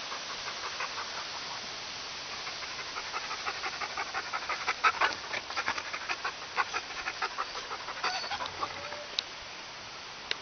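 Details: Sled dog panting at a four-dog kennel after Dustmop meets Wookie, Bearbear, Silver and Balto: soft, rapid, breathy pants, about three per second and somewhat uneven, over a quiet background.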